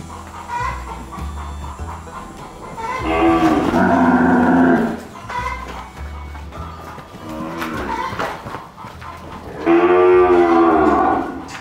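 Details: Gyr cattle (cows, heifers and calves) in the countryside of El Salvador being herded; two loud, long, harmonic moos, one midway and one near the end, over faint background music and low rumbling.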